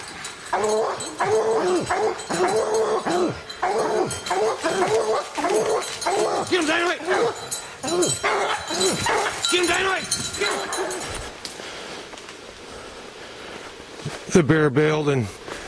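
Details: Hunting dogs baying at treed quarry in the evening, one pounding on the tree; rapid, steady run of harmonic barks for about eleven seconds, then a pause, faint activity and a final loud bawl, with a person speaking.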